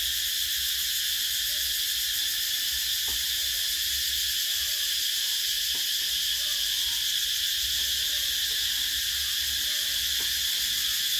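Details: Cicadas calling in summer, 2024: a dense, high-pitched buzzing drone that holds steady and unbroken from start to finish, with no pauses or rhythm changes, and a few faint clicks in the background.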